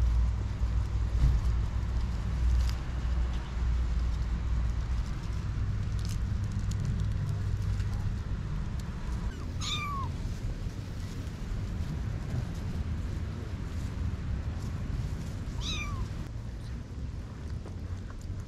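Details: Kittens about 6-8 weeks old, mother cat missing for a week, moved from a parking garage gate to a family home garden; two short falling meows roughly six seconds apart over a steady low rumble.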